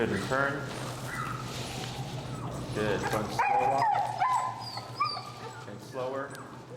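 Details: Feral husky Finnegan, vocal during level-one heel training in Chicago, voices disagreement with a behavior: sliding, whining howls and short yips break through as a trainer keeps talking nearby.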